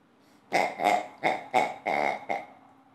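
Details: Two-year-old female Old English Sheepdog, very playful, gives six short, huffing barks in quick succession over about two seconds, each a rough, breathy burst. The room is otherwise quiet.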